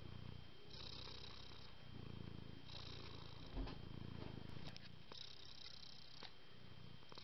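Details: Exceptionally calm domestic cat purring: a deep, low rumble swelling and fading in waves about a second long, with steady faint high hiss and a thin constant hum behind it.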